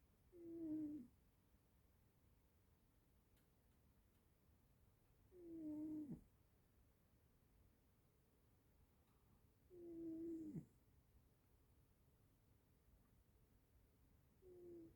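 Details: Cat snoring while asleep indoors; three full rasping snores about every four to five seconds plus the start of a fourth, each brief and nasal, in a quiet room.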